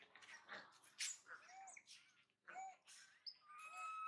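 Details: Young monkey Mila, left behind while mother Malika forages far away, cries toward her brother Marto, who will not help. Arched, tonal squeaks and chirping wails repeat, ending in a steady high whine, with rustling close by.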